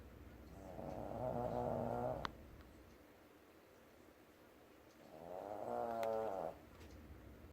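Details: Shih Tzu snoring while asleep: two long, rasping, harmonic-rich snores about four seconds apart, each lasting roughly one and a half seconds, with quiet breathing between them.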